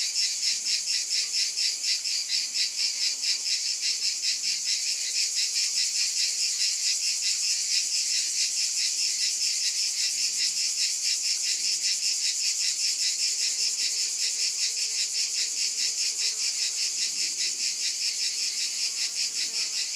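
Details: Chorus of cicadas buzzing loudly and continuously, the high hiss pulsing in a rapid throb a little over twice per second, with a few faint low scraping sounds underneath.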